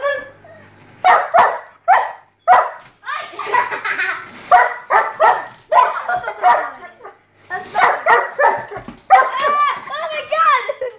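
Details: German Shepherd chasing a slot car around its track, giving repeated sharp harmonic barks and yelps in bursts of two to four, with excited rising whines near the end; a person's voice mixes in.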